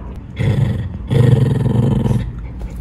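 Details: Two Shiba Inu sisters, a black mame-shiba pair, play-fighting over a room indoors; a low rumbling growl in two bursts, the second longer, about a second each, with room noise between.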